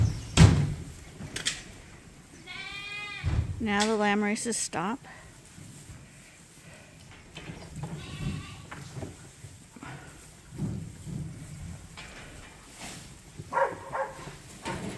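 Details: Bottle-fed lambs on a farm, topped up twice daily on a hand-made feeder, utter two quavering bleats in quick succession, followed by quieter rustling and faint calls.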